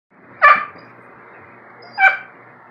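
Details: German Shepherd-Rottweiler mix puppy and a Maltese arguing in the morning: two short sharp barks about one and a half seconds apart, in a quiet room.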